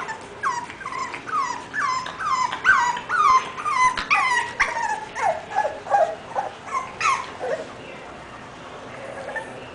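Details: English Bulldog giving a loud, insistent series of whimpers: high, nasal whines that each drop sharply in pitch, coming two or three per second, then trailing off into quieter whines near the end.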